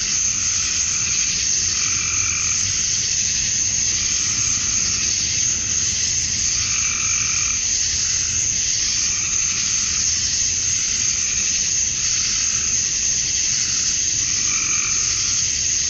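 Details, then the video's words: Male cicadas singing for females on a summer evening at dusk in Georgia, USA: an even, high, hissing drone throughout, with lower throbbing pulsed calls returning roughly every two to three seconds. "Cicadas at Dusk, Summer Night"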